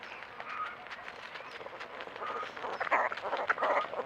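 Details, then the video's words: Javelina babies calling: rough nasal squeals and honk-like noises, building into louder, denser bursts in the final second and a half. "Javelina baby making cute noises"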